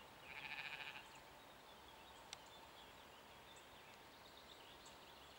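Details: Mouflon recorded in 2015 giving one short, quavering, pulsed bleat under a second long, then steady background hiss with faint distant bird chirps.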